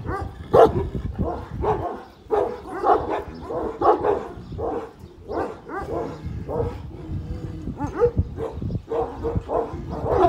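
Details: One-year-old Kangal dog standing up to a much larger dog, giving loud, deep, rough barks in a dense, near-continuous run, with short gaps and overlapping bursts throughout.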